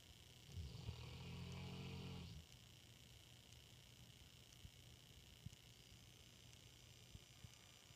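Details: Sleeping female English Mastiff snoring in a dark room beside a person: one long, deep, rumbling snore with a buzzy harmonic rasp lasting about two seconds, then quiet low hum with a few faint clicks.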